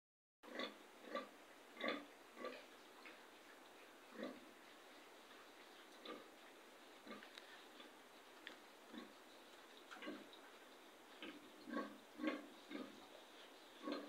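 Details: Pigs on a piggery farm giving short, rough grunts at irregular intervals, around two a second at times, over a steady background hiss.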